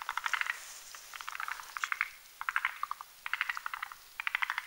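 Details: Several forest green tree frogs (Rhacophorus arboreus) croak at night while making a foam nest on a spindletree branch above a mountain pond; short rattling clusters of quick clicks come in bursts roughly every half second.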